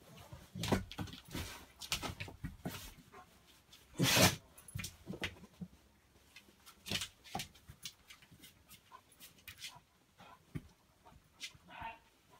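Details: Beagle puppy and Labrador left alone together in a hallway during a Christmas party, making short whimpering dog sounds and scuffles in irregular bursts, with one louder burst near the middle.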